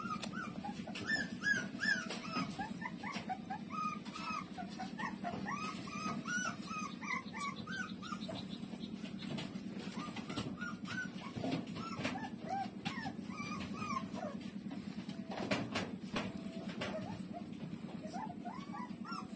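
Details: Street-dog puppies, Lulu among them, breastfeeding from their mother, producing frequent high arched squeaks and whines across the whole stretch, with occasional rustling knocks and an unbroken low pulsing hum beneath.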